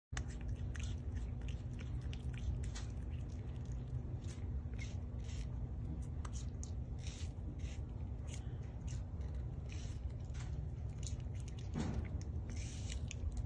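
A porcupine crunches and gnaws an apple in quick, irregular bites, the wet crackle of chewing steady throughout over a low indoor hum.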